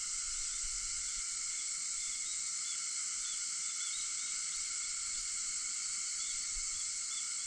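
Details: Early-morning cicadas on August 4 at 4:50 fill the air with a constant, sizzling high drone, unwavering in volume, with occasional small chirps in the upper register.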